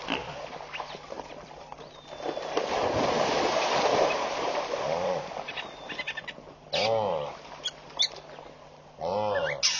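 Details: Agitated wildebeest in the early morning at Pete's Pond, Mashatu Game Reserve, Botswana, on July 11, 2013: a few seconds of loud rushing noise, then two deep, nasal, harmonic grunts near the end, with faint bird chirps.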